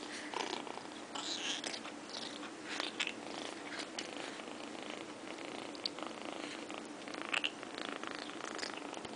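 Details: Lilly, a kitten, making noises while eating wet food for the first time, a habit she kept at every meal for almost two weeks; continuous rough, crackly murmuring with a purr-like texture and a brief high chirp near the end.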